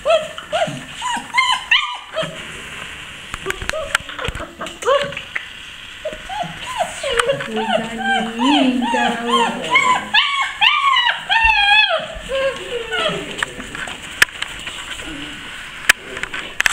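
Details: Several Basset Hound puppies in a kennel in Brazil crying: repeated arching, high-pitched whines and squeals, at times overlapping in a busy chorus, separated by brief quiet gaps and clicks.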